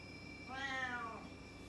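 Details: Short, softer meow from a loud indoor cat, a single rising-and-falling harmonic call lasting under a second, with a faint steady hum behind it.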